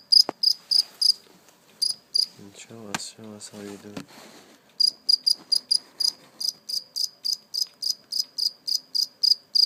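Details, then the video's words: A live cricket, caught and afterwards released, chirps in fast high pulses about three to four per second; a human voice cuts in early on, then the chirping returns steadily. "Real live cricket chirping sound"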